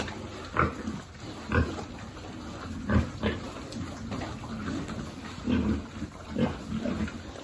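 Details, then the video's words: Piglets on a pig farm grunting while being fed, a herd partly of rescued abandoned or disabled pigs; short low rough grunts roughly once a second, a few louder snorts, steady low background rustle. "Feeding lovely piglet"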